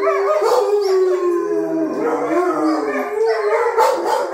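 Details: Wolfdogs Jake, Honey and Coco howling inside the house after a jealous outburst during petting; long gliding howls that sag and rise again, several voices overlapping into a dense, loud chorus.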